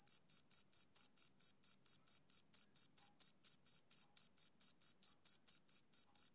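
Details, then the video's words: A male cricket calls on a summer evening with rapid, uniform high-pitched chirps, close to four a second. The chirps are evenly spaced and uninterrupted, with nothing else audible. "Cricket Chirping Sound Effect"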